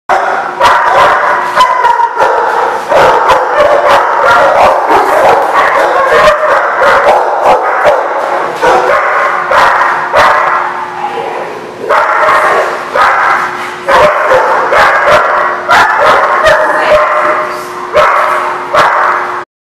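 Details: Many dogs barking together without pause, recorded 8/15/16; sharp overlapping barks form a dense continuous chorus with constant loud background din.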